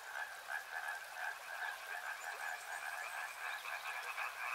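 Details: Frogs calling by a river, a dense chorus of rapid pulsed croaks layered in two bands, mid-pitched and slightly higher, rippling on steadily with no pauses and a soft hiss of background noise.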